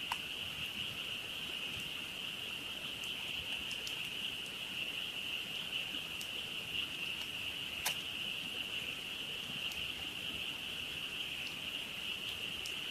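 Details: Frogs in a loud night chorus at a campsite, heard beside a campfire: a steady, unbroken high trilling drone throughout, with sharp crackles and pops from the burning fire scattered over it.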